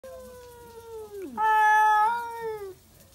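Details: Stray tabby cats, old rivals meeting at midnight, yowl at each other: a long harmonic wail that slides down, breaks, then jumps to a louder, higher sustained howl before tapering off after about three seconds.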